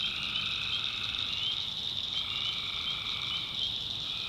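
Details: Backwoods North Carolina swamp at night, where a thick wall of tree frog calls runs without pause, high and shimmering, its middle layer stepping lower around the halfway mark.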